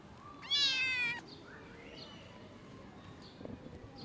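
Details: After surviving two days abandoned in the snow at -11°C, a rescued kitten cries out once with a loud, high, strained meow lasting under a second, then only faint background hiss.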